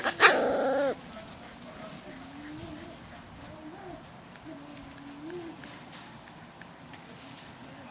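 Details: Five- to six-week-old Swedish Vallhund puppies: one sharp, loud yelp opens, followed by a series of soft, wavering whines repeated every second or so, fading into quiet room noise.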